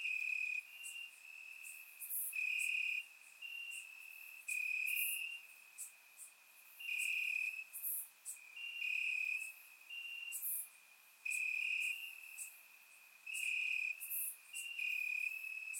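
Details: Nighttime chorus of crickets in Bulgarian grass on a warm summer evening, surround-miked; a constant shrill trill underlies rhythmic louder chirp bursts of about one second each, repeating steadily with brief quieter gaps.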